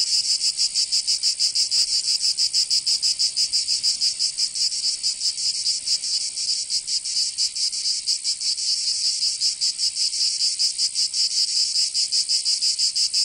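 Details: Summer cicada chorus in Provence, in the south of France, a continuous shrill rasping drone with fast, slightly uneven pulsing throughout and nothing else audible.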